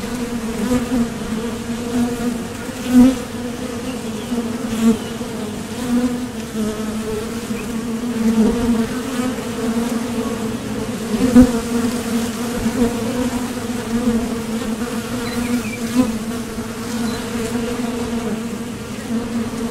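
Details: Steady droning hum of honeybees coming and going at a Top Bar Hive entrance while foraging for nectar, the thoracic-muscle buzz continuous throughout, with louder surges as single bees fly close by, around three and eleven seconds.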